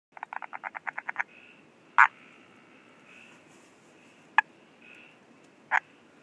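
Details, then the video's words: In Ranomafana National Park, Madagascar, a frog gives a fast series of short rattling clicks, then single sharp knocks at intervals. "Madagascar- Calling Frog"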